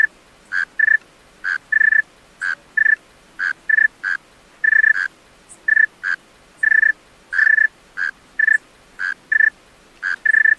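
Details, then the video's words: Male tree cricket at night, producing clean high ringing chirps of slightly varying pitch, some single and some paired, about sixty-five per minute, in an otherwise quiet setting. "Male Tree Cricket Singing Songs-Tree Cricket Sounds-Tree Cricket Call - Tree Cricket Sounds at Night"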